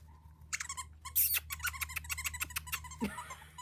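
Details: Indoor Havanese puppies, part of an October 1st litter of four females and one male. A thin whine leads into a rapid run of short, repeated squeaky yips, one loud shriek, and a closing scuffle.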